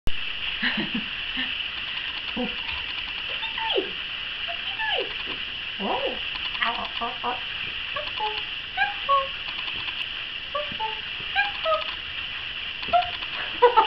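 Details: Nine-week-old male Chihuahua puppy, caramel and cream, at play indoors: scattered short high squeaks and yelping whines, some sliding downward, occurring throughout over a steady background hiss.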